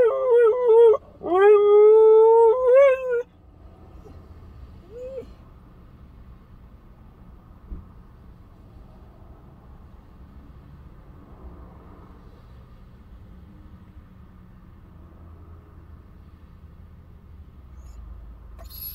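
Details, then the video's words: Husky puppy named Bandit howls while left alone in a parked car: a quick wavering yelp, then a sustained, slightly rising howl lasting about two seconds, followed by a long stretch of quiet cabin hum. "When you leave a husky puppy alone in the car"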